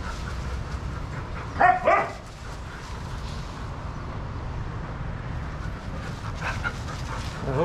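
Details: Shelter dogs playing together at a daycare give a brief pair of sharp barks just before two seconds in. A steady rumble of low background noise and scattered movement sounds fill the rest.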